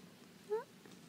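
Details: Domestic cat at home on a relaxed evening gives one short, soft meow, about a quarter second long, with a gently rising, clear harmonic tone over quiet room hush.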